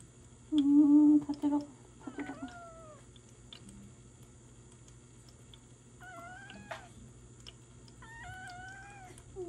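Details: Ragdoll kitten Jelly, seven months old and just home from hospital after peritonitis, during home injection treatment: short clipped cries early on, then a pause and two more wavering meows, mixed with a woman's murmuring voice in a quiet room.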